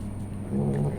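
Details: Pregnant house cat preparing for her kittens, being coaxed to drink milk: one brief, low, tonal mew lasting under half a second, set against a steady electrical hum.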